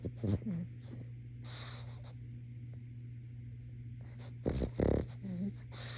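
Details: A pet pug sleeping snores in short snorting rumbles and breathy wheezes over a steady low hum.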